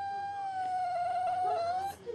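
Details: Maxi, a male whippet in Australia, howls indoors on cue after being asked to say hello: one steady, sustained tonal wail that holds a level pitch for nearly two seconds, wavers slightly, then breaks off.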